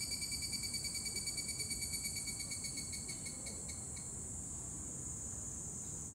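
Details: Evening cicada (higurashi) at dusk in Yoyogi Park, Tokyo, Japan, singing its kana-kana song: shrill, ringing, rapidly pulsed high notes that slow and fade over about four seconds, then a thin, steady high hiss.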